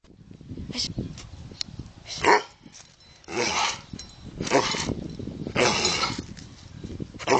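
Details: Curly Coated Retriever dog barking on command as a trick: short, sharp, broad barks at irregular intervals of roughly one to two seconds, with a low rumbling background and some faint noise between them.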